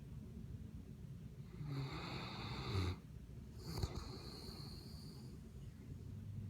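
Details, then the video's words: Sleeping mastiff snoring indoors: two long, rough, breathy snores, each lasting over a second with a deep low rumble underneath, separated by a brief pause. "Snoring mastiff"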